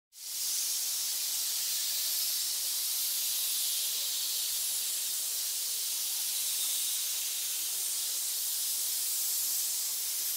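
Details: A pit of snakes hissing: a continuous, even hiss that starts abruptly and holds steady for about ten seconds, concentrated in the high register with no breaks or other sounds.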